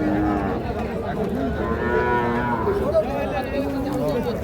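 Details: Sahiwal calves at a cattle market in Ambari, Parbatipur, Dinajpur, Bangladesh; a drawn-out lowing moo rises over a busy crowd with men bargaining and chattering throughout.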